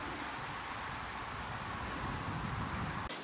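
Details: Steady broadband rushing noise like wind or passing traffic, with no animal voice heard.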